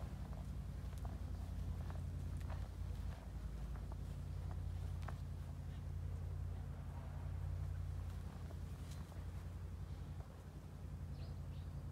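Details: A low, steady engine-like hum with scattered footsteps and light taps outdoors, as a Boston terrier runs around a garden; no barking or other animal voice.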